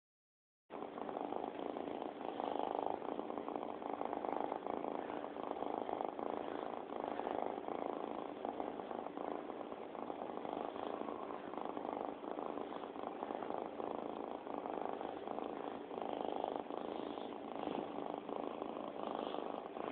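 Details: Domestic cat purring steadily, recorded on an Android phone; a continuous, even, rasping hum with fine rapid pulsing that holds without a break for about twenty seconds, close to the microphone, with no other sounds.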